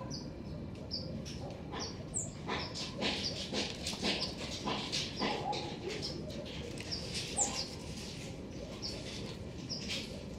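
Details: Black-tufted marmosets (Callithrix penicillata) in a garden give short, thin, high-pitched chirps in quick repeated bursts over rustling background noise.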